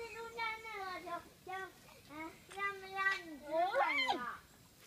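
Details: Infant giant pandas being fed biscuits at the Chengdu Panda centre give a run of excited, wavering squeals, bleat-like and sliding in pitch, ending in a higher rising-and-falling cry, with people talking quietly.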